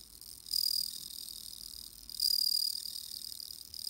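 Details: Bell cricket singing on an autumn-feeling evening: high, ringing trills in short bursts, repeated roughly every two seconds, with quieter chirping between them and no other clear sounds.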